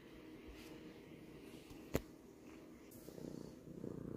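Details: House cat purring in a short stretch, low steady rumble with a single sharp click partway through and the purr swelling louder toward the end.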